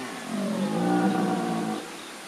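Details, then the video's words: Red deer stag at Wildpark Gersfeld in the Rhön, roaring in early morning darkness. One hoarse, rough bellow builds and sustains for over a second before trailing off, with a noisy background. "Röhrender Hirsch, Red Deer"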